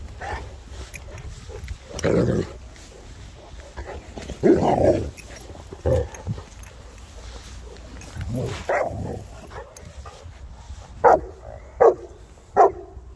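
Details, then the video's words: Three Boerboels, South African mastiffs, playing: rough low growling and huffy vocalisations through the middle, then three short sharp barks close together near the end, over steady background hiss. "3 south African mastiffs playing #boerboels"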